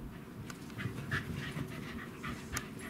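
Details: Welsh Corgi panting, quick soft breathy puffs about three or four each second over a steady low background hum.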